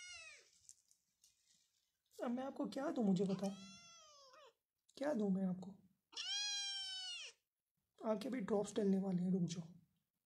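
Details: Persian cat at a cattery in Pakistan with kittens. Loud human speech fills most of the recording. A short meow opens it, and a clear, sustained arching meow sounds between two stretches of talk.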